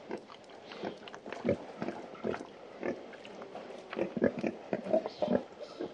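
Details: Pig. Pigs give a run of short, gruff grunts, some low and throaty, others sharper and nasal, coming in uneven bursts. A dry scratching and rustling runs beneath the grunts.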